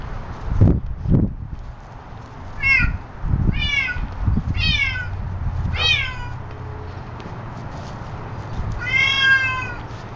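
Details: Pet cat learning to play with her ball, giving a series of short, clear meows with rising-then-falling pitch, about five calls spaced a second or so apart, with soft thumps and handling noise in the room.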